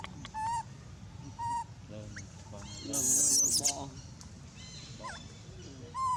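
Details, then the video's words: Abandoned monkey crying very loud. Brief whining squeals come several seconds apart. A harsh, loud, noisy burst stands out midway, with scattered chirps and a constant low hum beneath. "abandoned monkey was crying very loud"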